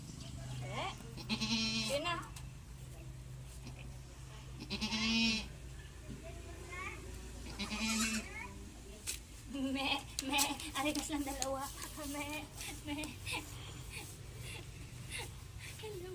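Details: Young farm goats bleating while being given iron vitamin shots; several short quavering bleats in the first eight seconds, then mostly Tagalog speech from the handler with fainter animal noises.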